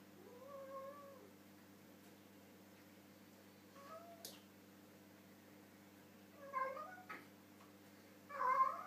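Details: Harley, a pet cat, vocalizing while eating his dinner with his mouth full: a few short murmured meows spaced several seconds apart, separated by quiet stretches with a low steady indoor hum.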